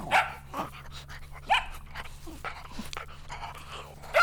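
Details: Energetic dogs running and playing outdoors on a meadow give sharp, high barks at the start, after about a second and a half, and again at the very end, with low humming noise throughout.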